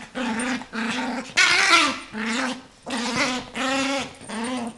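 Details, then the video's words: A very small 8-month-old female Yorkshire Terrier growls in rumbling, rising snarls indoors while playing with her toy, making scary sounds so her owner can't take it. "dangerous yorkshire terrier playing with toy"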